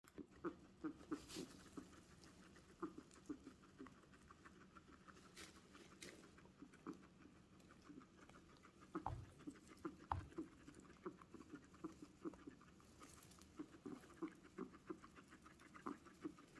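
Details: A guinea pig making strange noises: a run of short, low, pulsing sounds repeated several times a second, steady throughout, broken by a few louder knocks and bumps.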